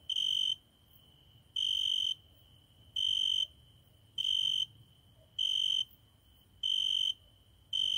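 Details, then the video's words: Cricket at a window at night, singing nightly: a steady series of shrill, level-pitched chirps, each about half a second long, returning about every second with slightly irregular gaps, with faint low hum between them. "My private cricket singing every night at my window"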